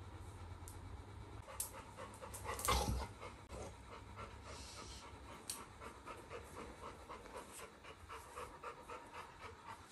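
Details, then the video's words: Labrador retriever puppy named Little John, roused and alert once the camera switches on, pants in fast even breathy bursts; a brief thump sounds early on, and a low steady hum runs underneath. "Labrador puppy wakes up in alert when i turn on camera"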